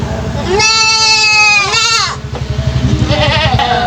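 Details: Goat kid aged three months with an unusual voice; a sustained bleat of about a second, falling at the end into a wavering cry, then quieter murmuring sounds over a constant low hum.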